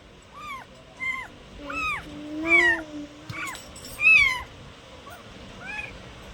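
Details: Cats meowing softly: several thin, high, short arched mews at irregular intervals with a lower drawn-out tone underneath, over a faint background hiss.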